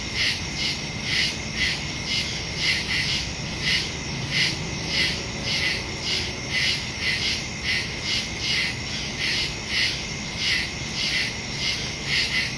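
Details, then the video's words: Crickets in the woods at night, recorded on September 2, 2023 with a Samsung Galaxy S22 Ultra phone and Shure MV88+ stereo microphone: dense high chirping pulses repeating steadily, layered bands of insect trill filling the night air. "Crickets in the woods at night"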